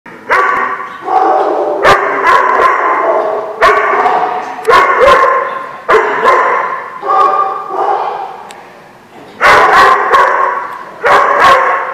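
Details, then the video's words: Dogs barking at a boarding lot, recorded 11 January 2016; loud, harsh, repeated barks come in rapid bursts about every second, with one or more dogs overlapping throughout. "The Barking Lot"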